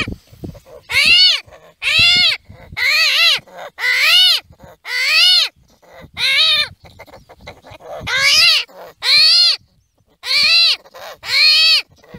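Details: Armadillo screaming in repeated bursts, about one per second: harsh, arched, strongly harmonic squeals, each rising then falling, separated by brief near-silent gaps with soft clicks.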